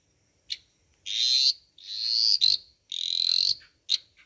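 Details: Dwarf tree frog, about 25 mm long, croaking loudly in captivity; high buzzy pulsed notes about half a second long, repeated roughly every second, mixed with short sharp clicks.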